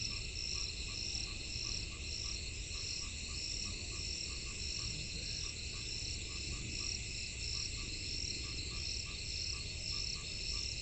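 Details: A frog in the rainy season gives short, evenly spaced calls over a steady high insect chorus and low rumble.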